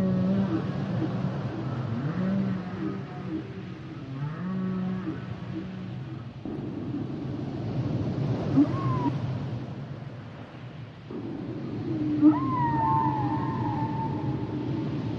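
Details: Humpback whale song with varied low moans and grunting pulses, then a gliding higher tonal call that bends downward and holds, over constant deep water noise.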